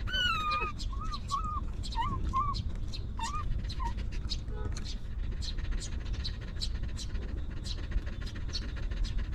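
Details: Stray dog family, a mother with her litter of puppies living rough and given shelter and food: a run of short arched whines, high and rising then falling, in the opening seconds, then ticking clicks and low steady rumble.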